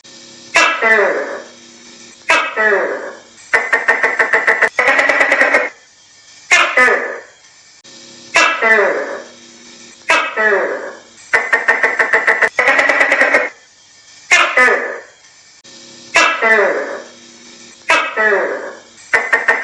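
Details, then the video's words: Tokay gecko calling in a steady cycle. A rattling burst of rapid clicks leads into loud downward-sweeping croaking notes. The pattern repeats roughly every two and a half seconds with little else audible. "ตุ้กแก|เสียงตุ๊กแกร้อง|Gecko Sounds|Gecko Sound Effect|tokay gecko kêu"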